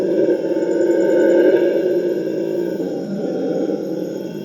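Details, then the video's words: A group of Purus red howler monkeys in rainforest gives a droning, rumbling howl chorus that climbs to a peak near one and a half seconds, then eases off while still roaring steadily. "The TERRIFYING sounds of Howler monkeys"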